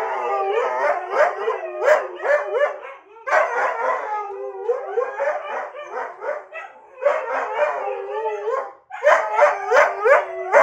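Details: Siberian Husky, a household pet told "no", replies with rapid choppy groaning howls and yips in clustered bursts, roughly three per second, with short gaps between phrases.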